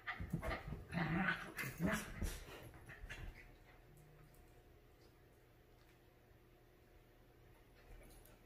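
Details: Two pet dogs, a Havanese and a Maltese named Clam and Bella, play-fight over the couch indoors: a burst of low growls and scuffling for about two seconds, then near quiet with faint room hum.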